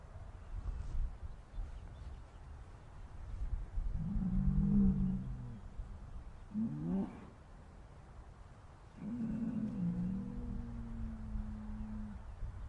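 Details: Low, muffled cow moos in a sad, upset mood, three calls spaced several seconds apart over a steady low background rumble.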